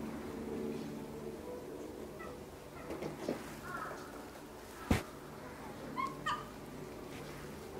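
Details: Several ring-tailed lemurs at Saitama Children's Zoo give short, cat-like mewing calls, rising and falling, over a low steady hum, in the evening on 18 January 2018.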